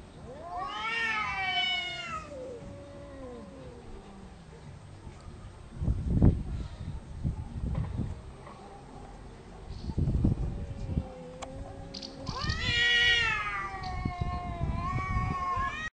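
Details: Cats in a loud territorial dispute with no biting or fighting: rising, wailing yowls at the start and again near the end, separated by low rumbling growls and scuffing noises.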